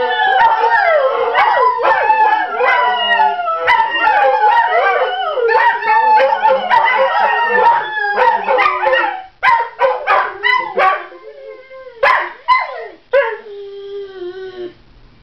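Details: Three pet greyhounds rooing together in response to a recording of other hounds; dense overlapping wavering howls for about nine seconds, then breaking into shorter separate yowls and rising cries with gaps between.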